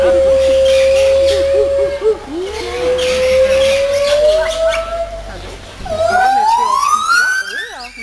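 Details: White-handed gibbons at a zoo in June sing long, pure, hooting notes that slide upward, ending in a rising whoop.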